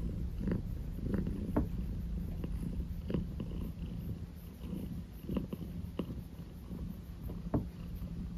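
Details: Indoor pet cat purring, insisting its owner not stop: a low, steady rumble pulsing in slow rhythmic waves, with scattered soft clicks and rustling close to the microphone.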